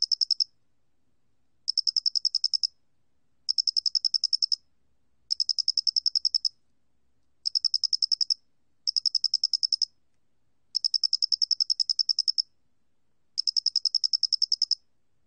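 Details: Doenitz's cricket (Loxoblemmus doenitzi), a 2020 National Institute of Biological Resources recording: bursts of rapid, high, ticking pulses, each burst lasting about one second, separated by short silent gaps; clean with no other sounds.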